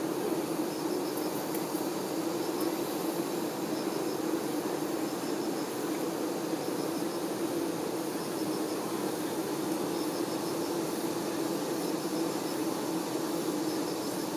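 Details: Honey bee workers tending their queen: a steady low droning hum runs unbroken throughout, with faint high, quick ticking bursts repeating at regular intervals over the top.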